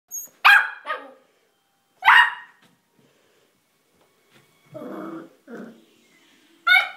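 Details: Pet dog barking on a staircase it can climb but won't come down; a few sharp, loud barks spaced irregularly, with a person's voice coaxing it mid-clip.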